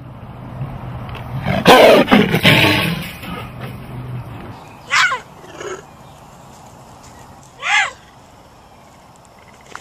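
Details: Big cat roaring: one loud, rough, breathy roar lasting over a second, followed by quieter short falling calls. A low background hum runs under the start.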